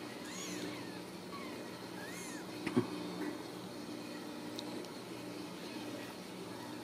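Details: Ragdoll kittens raised in a central Kansas home cattery let out a couple of clear, high, rising-and-falling mews early on, then go quieter over a constant low indoor hum and a sharp knock.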